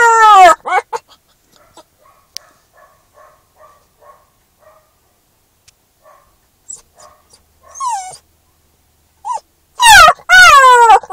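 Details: Newfoundland-Labrador mix puppy in its first week home, howling in a car because it dislikes being separated from its people: loud, drawn-out harmonic howls that slide downward at the start and end, with soft regular ticking and brief whines between.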